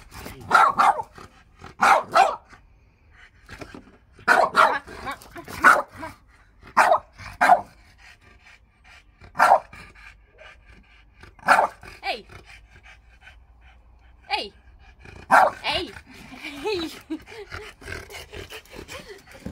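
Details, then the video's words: French Bulldog barking at his owner while arguing over his chair: irregular bursts of gruff barks, single and paired, spread across the stretch, with some grumbling near the end. "French bulldog argues with mum for his chair"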